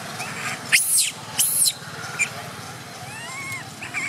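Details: Baby monkey Gabe, a wild monkey living around Angkor Wat, crying while its father comforts it: two sharp, harsh high squeals, then softer whimpering tones with gently rising and falling pitch over a steady outdoor background.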